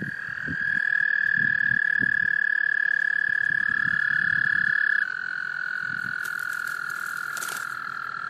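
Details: Several male American toads trilling to call females at a small pond in South Carolina's Laurens County, March 2014: one loud steady trill stops midway while a slightly lower overlapping trill carries on, with faint low splashes.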